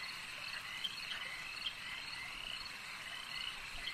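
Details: Lakeside frog chorus: many callers blend into an even, high-pitched croaking drone, with a couple of sharper single notes standing out near the start and middle of the stretch.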